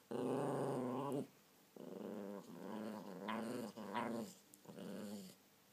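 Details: Miniature pinscher, a pet dog, giving a series of growls in short bursts, some rising into sharper snarling whines, with quiet pauses between bursts indoors.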